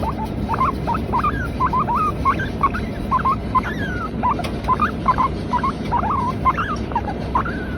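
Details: Latte, a female Teddy guinea pig kept as a pet, calls in a steady series of short rising squeaky notes about twice a second, with a few longer upswept whistles between them over a low background hum.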